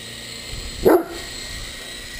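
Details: Great Dane playing with an RC helicopter gives a single deep, short bark near the middle, over a steady background hum.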